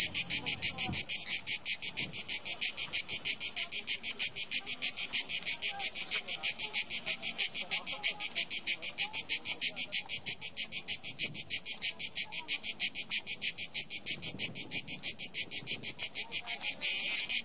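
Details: Cicada orni giving its characteristic call at Kotor, Montenegro: a loud, high, rasping buzz made of rapid regular pulses, about three per second, running steadily without a break for the whole stretch.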